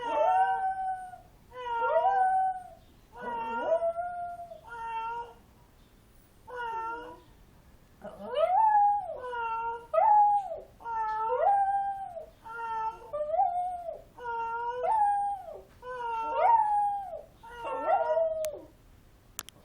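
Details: Cat named Maki calling in reply to a cat sound: a steady series of arched, tonal meows with clear harmonics, each rising then falling, repeated roughly every two seconds with short gaps, close and clear against a quiet indoor background.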